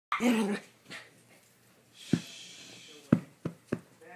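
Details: Maltipoo, a Maltese-poodle crossbreed, playing indoors: one short, harmonic, growly yelp at the start, then quiet rustling, several sharp clicks and thumps, and a faint whiny call at the very end.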